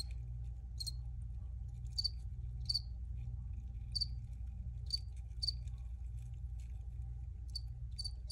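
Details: Sparse cricket chirps: single crisp high notes spaced roughly half a second to a second apart, with quieter gaps, set against a persistent low droning hum.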